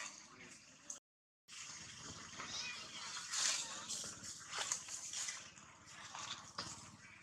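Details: Wild macaques at Angkor Archaeological Area near Siem Reap, Cambodia: a female, Jane, cries as a big male comes to her. Harsh, shrill, noisy cries come in uneven bursts, with a human voice and a brief silent gap.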